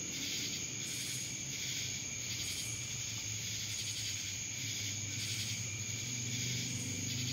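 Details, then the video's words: Dallas, Georgia cicadas droning steadily, a harsh high buzz pulsing in regular waves, with a constant piercing tone above and a soft low hum in the background. "Cicadas Black Screen Sounds"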